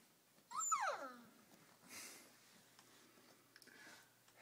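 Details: Rhodesian Ridgeback puppy from a first litter, indoors after feeding: one loud descending whine that slides from high to low, followed by faint rustling and a few soft clicks.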